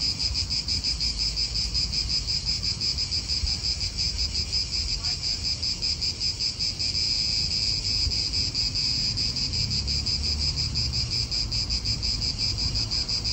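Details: Cicadas calling in an Italian park: a dense, high, sizzling drone with fast rhythmic pulsing throughout, backed by low wind or distant traffic rumble.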